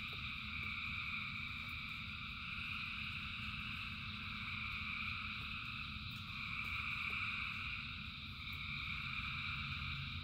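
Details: In rainfall, thousands of frogs keep up a thick wall of high, pulsing trills in stacked bands, slightly louder near the end, over a persistent low rumble from the rain.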